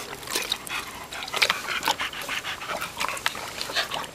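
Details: An English Springer Spaniel, full of energy after having his long hair trimmed, pants and snuffles in quick, breathy bursts with an occasional faint whimper.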